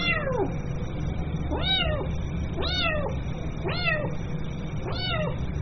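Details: A young kitten meows for its mother: five clear, bowed cries about a second apart, each swelling up and dropping away, with constant low background rumble.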